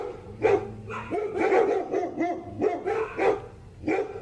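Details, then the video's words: Poodle barking in quick, uneven bursts: about six short, bright, harmonic yaps across four seconds, some doubled, with brief quiet gaps between them and no other clear sounds. "Sounds of poodle."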